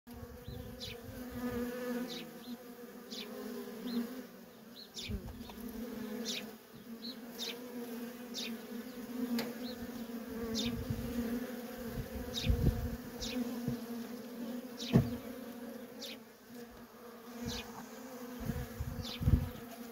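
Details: Worker honey bees in constant traffic at a feral colony in the wild, a steady low droning hum with occasional louder passes of individual bees flying close by.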